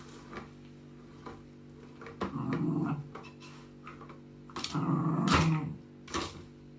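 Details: Maggie, a female West Highland White Terrier pet living in Germany, gives two short rough growls about two seconds apart, low and grating, over a steady indoor hum with small knocks between.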